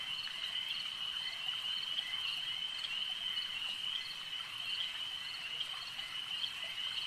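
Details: Many frogs at a lake trilling together in a constant, piercing high chorus, with small irregular clicks and pulses sprinkled through it and no pauses.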